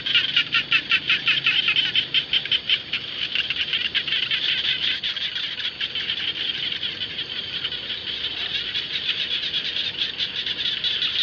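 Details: Frogs calling across rice fields: a dense chorus of rapid, high-pitched pulsed calls, repeated roughly two to three times a second, stronger in the first three seconds, then a steady shimmering wall of overlapping callers.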